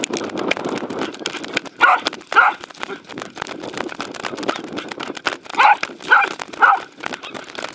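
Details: Welsh Corgi named Roku chasing a fluffy Sheltie around a dog park run, recorded 11 February 2019 on an Insta360 camera; short sharp barks in two bursts, a pair near the start and three in quick succession later, over rustling, scuffling outdoor noise.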